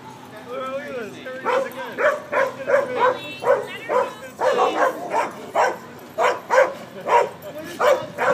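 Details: Seventeen-week-old Bernese Mountain Dog puppy playing king of the mountain at the Carl Shurz dog run; high, yappy barks come in a quick steady series about every half second, with whiny squeals at the start.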